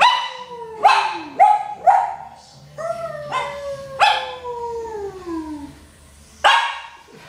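A Lhasa Apso gives drawn-out, wavering howls that glide steadily downward, each lasting a second or two. Short, abrupt yips and barks punctuate the howling, opening and closing the sequence.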